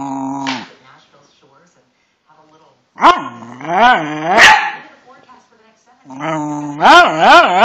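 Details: Indoor pet Cairn Terrier produces warbling, wavy whine-howls and sharp bark-like yips in two clusters, separated by a brief quiet spell, while a person speaks to it.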